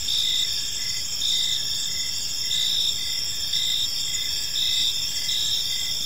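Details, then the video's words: Crickets at evening in a peaceful park, a bright sustained high trill with short chirps recurring about once a second, the chorus even and unbroken. "Cricket Sounds in a Peaceful Park"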